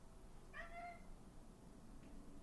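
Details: Indoor male house cat meowing at birds: a single short, soft meow with a slight downward bend, faint against a low room hum, followed by quiet.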